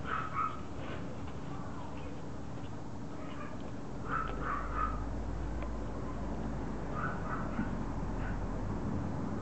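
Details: Pomeranian named Regalo, called Loo, begging for her toy to be thrown: three short bursts of high, whiny yips and whimpers, spaced a few seconds apart, over a low steady room hum.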